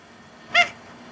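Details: Theo the cat giving his dog-like falsetto, a single brief high squeak with stacked harmonics, over quiet room background.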